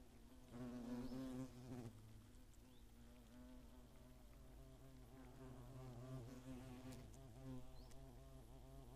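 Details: Attacking hornets in the Eifel, 2017: a loud, low humming wing buzz in the first two seconds, then fainter overlapping drones from several insects circling at a distance.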